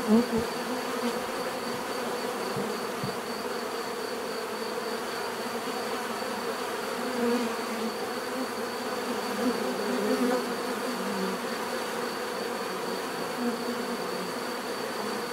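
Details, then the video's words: Many bees producing a continuous low droning hum that barely changes for fifteen seconds, with a brief louder buzz at the very start and a thin steady high-pitched whine in the background. "bees therapy relaxing natural buzzing sound"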